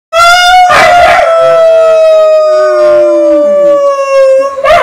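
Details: An East European Shepherd sings along with its owner as backing vocals, howling a long, clear, slowly falling note while the person sings.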